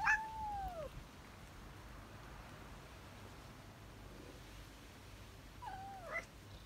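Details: Tabby cat at a cheese meal gives a clear falling meow at the start, then after a long quiet pause a second, shorter wavering meow.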